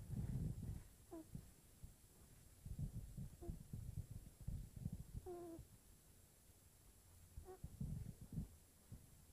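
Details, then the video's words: A kitten (she) asleep and snoring: low rumbling breath sounds throughout, punctuated by several thin whistled squeaks on the breaths, steady quiet room tone. "Very cute Kitten snoring"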